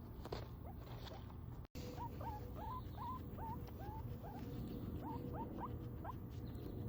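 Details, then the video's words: Pet guinea pig reacting to a loud noise: a series of short rising squeaky chirps, about a dozen, coming roughly every third of a second after a brief break, over a low steady hum. "Do loud noises bother guinea pigs"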